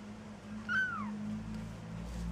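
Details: A Maine Coon kitten at a cattery in Saint Petersburg, Russia, utters a single short, clear meow that slides downward in pitch and fades within half a second, with a low steady hum underneath.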